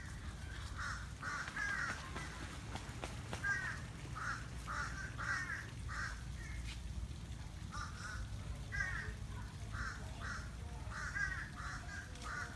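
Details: Strange noises from a male turtle during mating at Flamingo Gardens in Broward County, Florida: repeated short, creaky, harmonic squawks, sometimes in pairs, pulsing steadily over about twelve seconds with low outdoor rumble beneath.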